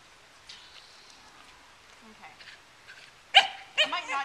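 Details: Jessie, a 9-week-old Darwyn Welsh Terrier puppy, walks on a lead outdoors on light gravel, her sister nearby on a deck. After quiet rustling, two sharp, high yelps burst out in quick succession near the end.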